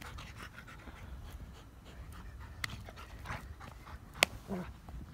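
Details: Dogo Argentino at training, soft breathy panting in steady rhythmic pulses, faint against background hiss, with one sharp click.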